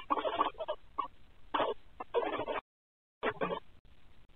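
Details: Guinea pigs kept as pets, heard at night after lights out in their tank enclosure through a Ring night-vision camera: clusters of harsh, squeaky chattering bursts, a brief silent gap, then more bursts.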